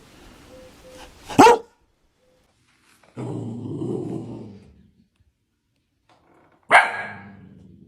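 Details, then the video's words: Dalmatian dog indoors giving a sharp single bark near the start, then a lower rumbling growl-like vocalisation lasting over a second, and a second loud bark near the end trailing into a low rumble. "Dalmatian Barking Sound Effect. A Dalmatian In Real Life Barking Will Make You Smile"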